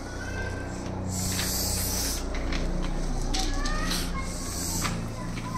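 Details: Angry Russell's viper, rescued from Pune Nagar road in Maharashtra and moved from bucket to bag, gives loud breathy hisses in bursts about every second, with people talking nearby.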